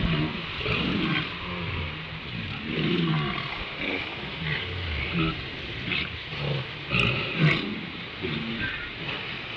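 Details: Walruses at Round Island as the sun rises: a series of deep, rough, roaring bellows and grunts, some overlapping, over a steady background of wind and surf, with a few sharp clicks near the end.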